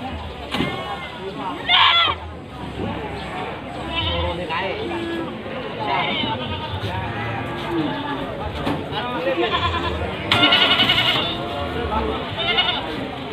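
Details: Crowded bleating from a pickup full of Javanese and Etawah goats, about 40 head and mostly females, parked at Panggul market, Trenggalek. Two loud, harsh bleats stand out near the start and later, among steady talking and market bustle.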